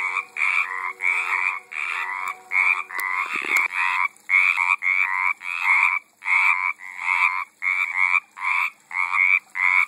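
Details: Pond frogs recorded in 2012 give loud, rattling croaks in rapid pulsed bursts of about half a second, separated by short gaps, with a brief knock partway through.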